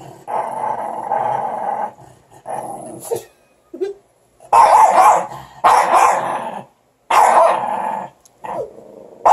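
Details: Morkie puppies squabbling over a stick: rough, buzzy growls and snarls come in bursts of one to two seconds with short silent gaps, some sharper yips mixed in.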